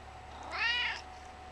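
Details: Gizmo, a talkative pet cat about 11 years old, male and a bit chunky, gives one clear, drawn-out meow with rich overtones that rises slightly and then falls. A faint steady hum runs underneath.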